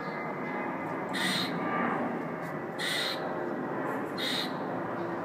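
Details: Loud squirrel calling from a fire escape: three harsh, scratchy squawks about one and a half seconds apart, with a constant low hum behind them.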